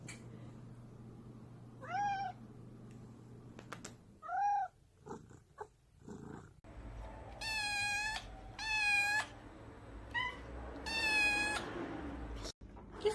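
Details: Pet cat meowing in bursts, a few soft mews early on, then louder, longer harmonic meows in quick succession, a person occasionally talking and a low hum behind.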